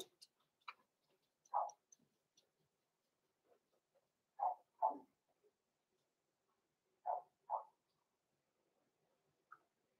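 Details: Six-week-old blenheim Cavalier King Charles Spaniel puppies, Roman and Blue, born November 14, 2022, in a home puppy pen: short mid-pitched yips, mostly in quick pairs, repeating every two to three seconds, with faint ticks and rustles between.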